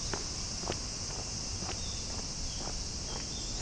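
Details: Bear cicadas in summer heat during mid summer holidays, Japan; a loud, steady, hissing high drone fills the air without a break, with faint scattered rustles and ticks underneath.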